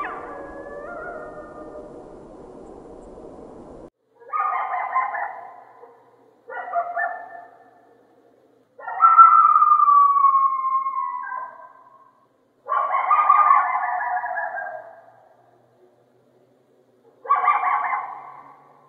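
Coyote giving wavering howls and bursts of high, yelping yips, separated by short silences.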